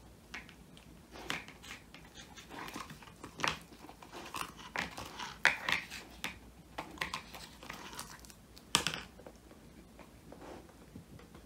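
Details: Woody, a male Old English Sheepdog born 22 January 2019, crunches a whole quail as a handmade treat, his first treat ever, filmed indoors on a phone: irregular crisp cracking and crunching bursts in a quiet room, louder snaps near the middle and end.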